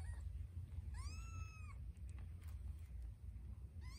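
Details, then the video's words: Nursing Scottish Fold kittens squabbling over a nipple; one clear, drawn-out mew, flat then falling, rich in harmonics, with another mew starting at the end, over low background hum. "FIGHT for the Nipple ESCALATED Tortie KITTEN Stands her Ground"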